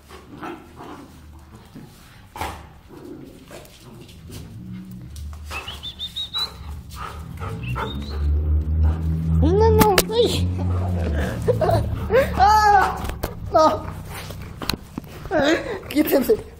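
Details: Giant Schnauzers Ronnie and Arnold, father and son, at play. A deep rumbling growl builds and is broken by several sharp, arching barks near the end, with a person's brief shouted words at the start.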